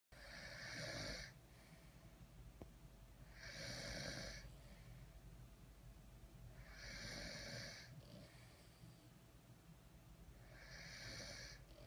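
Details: Napping French Bulldogs snore together in loud, rasping bursts, one every three seconds or so.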